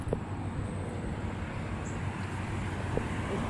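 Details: Outdoor traffic rumble and wind noise with a couple of faint knocks, and no animal voice.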